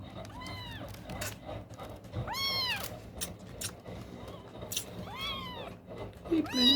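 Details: Newborn kittens, three in a litter with eyes still closed, cry loudly while one searches for its mother's milk at night. Loud arched mews, high and harmonic, come about five times with irregular gaps, over background music and a soft human voice.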